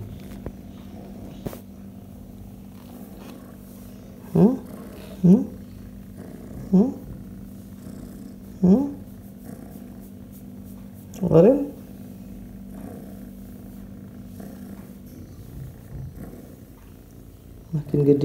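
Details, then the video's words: D'ouren, an orange tabby kitten and Calici virus survivor, purrs loudly while being petted, recorded July 2020: a continuous low steady purr under the whole clip, broken by several short rising bursts, likely voice sounds. "Loves Being Petted Purring Loudly"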